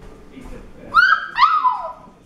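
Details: Four-week-old Alapaha Blue Blood Bulldog puppies, born February 26, 2021, on a 45-acre farm, during a test of their reactions to sudden loud sounds; two short, high whining whimpers, each bending downward in pitch, with faint background murmur.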